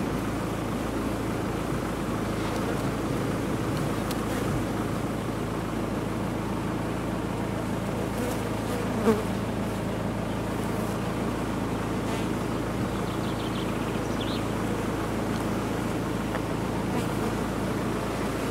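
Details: Big colony of honey bees housed in a disused chimney during removal, producing an unbroken, thick buzzing drone with a steady deep hum throughout and faint clicks of handling.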